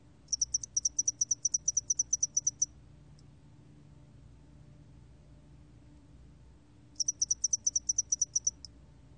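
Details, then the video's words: Spotted-wing hairy cricket calling in bursts of rapid high chirps, about twelve to fourteen pulses per burst over two seconds, a pause of several seconds, then another burst; quiet background. "점날개털귀뚜라미, 1번 듣기, 곤충소리"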